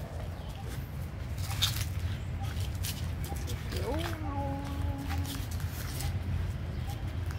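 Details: Hungry little abandoned puppy asking for food: a single thin, drawn-out whine that rises sharply and then levels into a steady tone lasting about a second and a half, over a low constant rumble and scattered clicks.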